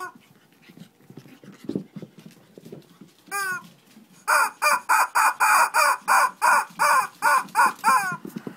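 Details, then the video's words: Shih Tzu in a small fight in Kochi, Japan: low rumbling growls for about three seconds, a brief yelp, then a rapid run of about twelve sharp, high barks in quick succession. "Shih Tzu kochi japan new [mini] fight !"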